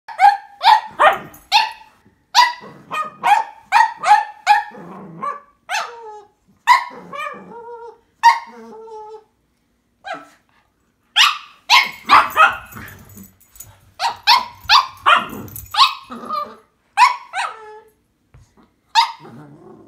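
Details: Two Cavalier King Charles Spaniels, one tricolour and one Blenheim, fighting over a string toy: rapid bursts of sharp, high yapping barks, often three to five in quick succession, separated by short pauses and a few drawn-out whiny yelps.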